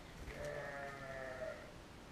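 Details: Sheep recorded with a GoPro Hero giving one steady, wavering bleat of under two seconds, rich in harmonics, over a low background rumble.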